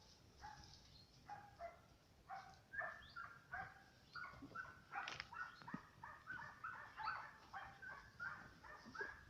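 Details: German Hunting Terrier barking in quick, steady series of high, clipped yelps, about two to three per second and growing more insistent, with some softer whimpering tones between barks outdoors.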